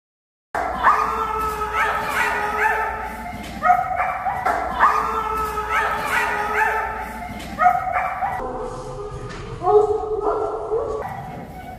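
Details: Storm, a female German Shepherd protection dog, gives a run of drawn-out, pitched, whining barks that slide up and down, in bursts with short gaps between them.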